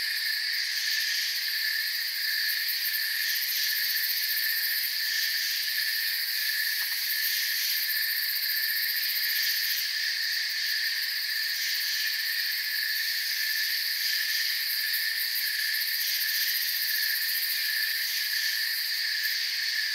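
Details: Crickets chirping in a forest: a dense, unbroken chorus of high, shimmering trills layered in several pitch bands, steady in volume throughout, with no other clear sounds.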